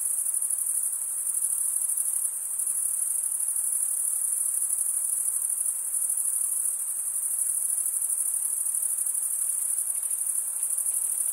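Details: Crickets stridulating, wing scraped against a toothed vein on the other wing, mostly males: a dense, steady, very high shimmering trill holding level for eleven seconds with faint pulsing, no other sounds.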